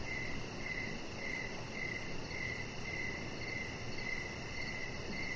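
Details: Crickets chirping in the evening around a deck where a chihuahua puppy named Rocket lies under decoration lights; steady high pulsed chirps about twice a second, a fainter higher layer above, over a constant low rumbling background.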